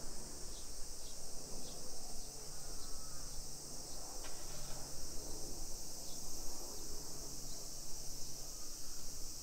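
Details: A Japanese suburban street in Nisshin, Aichi Prefecture, on a summer afternoon, 28 July 2021, 1 PM, thick with cicadas. Their unbroken, sizzling high drone holds level throughout, with faint clicks and low street and walking noise beneath.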